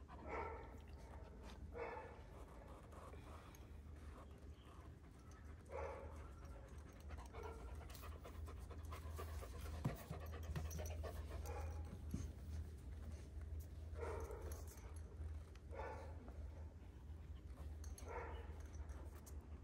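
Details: Kangal dogs aged one year, in Alanya, Antalya, Türkiye, on 24 September 2024. Breathy puffs come at irregular intervals, roughly two a minute-second apart, beneath a strong, constant low-pitched hum.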